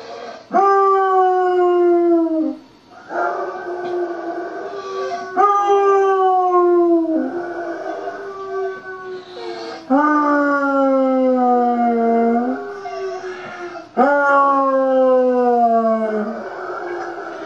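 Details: Emma, a blind five-year-old basset hound recovering from back surgery, howls in a run of five long mournful howls, each starting with a sharp rise then sliding slowly downward, about every three to four seconds, with faint voices between.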